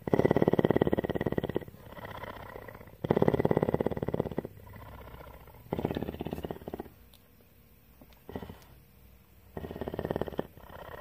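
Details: Purring of a captive female cougar (mountain lion) at a rescue in Bridgeport, Texas: strong rough pulsing purr phrases of one to two seconds, separated by softer inhaled stretches, repeating steadily.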